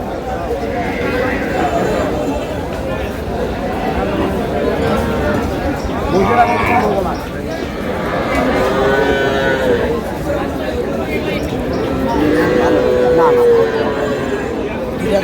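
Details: Cows with calves at the Aftabganj cattle market in Dinajpur on July 11, 2026, giving repeated drawn-out, wavering moos that rise and fall, amid constant crowd chatter and bargaining voices.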